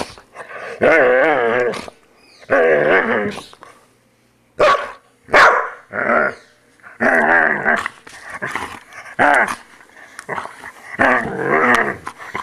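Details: Grooming session with a poodle: long quavering growls alternate with sharp yelping snaps, in repeated bouts separated by brief silences.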